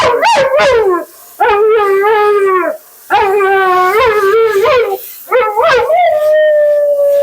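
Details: Mila the Siberian Husky, dramatic and talkative during bath and grooming, gives a series of sliding, wavering howls and short yips in bursts about a second long, ending on a sustained steady whine.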